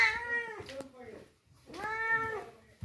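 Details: Stray kitten that wandered in and was cared for and fed milk, meowing twice: drawn-out, arched cries with a rising then falling tone, separated by a short quiet gap, faint room noise behind.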